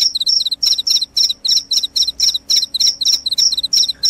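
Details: A loud cricket, its sound said to scare rats away and lull people to sleep, chirps in crisp, very high double-pulsed bursts. They come roughly three times per second against an otherwise quiet background.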